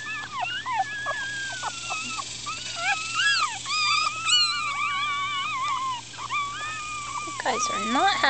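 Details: Upset four-day-old Miniature Schnauzer puppies squirming and crying: drawn-out wavering whines and squeals overlapping from several pups, some gliding high, with a woman's voice briefly speaking.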